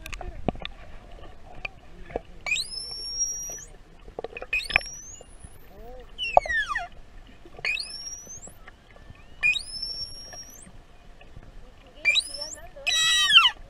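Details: A curious juvenile pilot whale off Tenerife in the Canary Islands, recorded underwater with a hand-held GoPro, whistles back to a human. Its whistles sweep sharply upward and then hold high and steady, repeated about every two seconds among scattered clicks.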